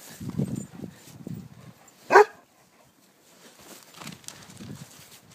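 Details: Five-month-old goldendoodle puppy named Jake playing chase outdoors in the snow gives a single sharp bark midway, between soft shuffling and panting-like rustles, with a person's voice nearby before it.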